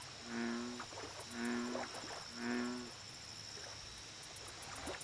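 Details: American bullfrog at a lake giving three deep, droning croaks about a second apart, each short and even in tone, followed by quiet; a steady high-pitched hiss continues in the background.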